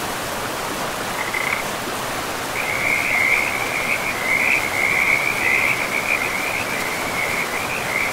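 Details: Frog calling by a river in a pristine forest with moss-covered land: a short high trill, a pause, then a long steady pulsing trill held for over five seconds, over constant rushing river noise.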